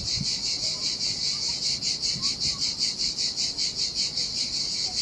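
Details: Summer cicadas on a lonely Sardinian beach, their shrill, buzzy chorus swelling and fading in clear rhythmic pulses roughly every half second, over faint surf.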